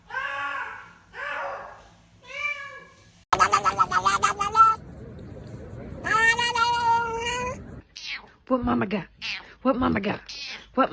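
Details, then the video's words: Domestic cat making strange noises: three drawn-out meows, then louder overlapping yowling calls over background noise, followed by short choppy sounds that may include human speech. "Strange cat noises"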